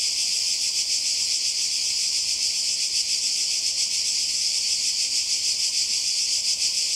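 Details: By the sea in Croatia during summer, many cicadas buzz together in a continuous shrill wall of sound, with a rapid, uneven flutter of roughly three beats per second running through the steady drone.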